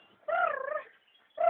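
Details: Belgian Malinois in bite training with a bite tug: a drawn-out, tonal whining cry with wavering pitch lasting over half a second, then a second whine beginning after a short pause.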